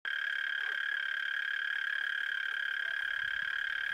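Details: Frogs calling at night in Hłomcza, Sanok commune, Poland, part of a chorus lasting from moonrise to moonset: a steady, unbroken droning trill with a bright overtone above it, holding the same pitch throughout.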